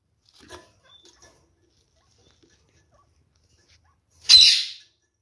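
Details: Kakariki pair kept in a cage, inspecting a freshly fitted nest: a few faint clicks and taps, a long quiet gap, then one loud, short harsh squawk that quickly trails off.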